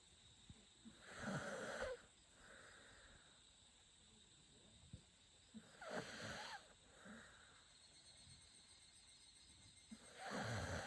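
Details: Shiba Inu named Chako asleep and snoring, three raspy, wheezing breaths spaced roughly four to five seconds apart, with faint soft clicks between them in an otherwise quiet room.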